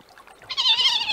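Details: Young stone marten named Martin, at a livestream feeding site where treats were put out, intimidating a fox to claim a place among feeding foxes and badgers; a short, harsh, harmonic-rich call swells suddenly and holds for about half a second.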